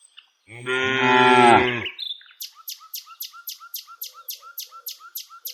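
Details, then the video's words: Village cow moos while the herd is walked, one long harmonic-rich moo of about a second and a half, then a bird chirping in a fast, even series of short notes. "Cows Sounds"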